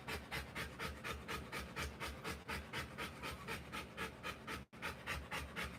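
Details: Rottweiler female in labour, giving birth to puppies, panting fast and steadily, about four breaths a second, each huff a soft broadband rasp, with only one brief break near the end.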